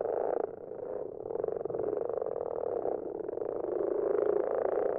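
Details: Several common frogs calling at night in a garden pond, recorded after dark: a dense, continuous low purring chorus of overlapping croaks, steady with slight swells in loudness, no other sounds.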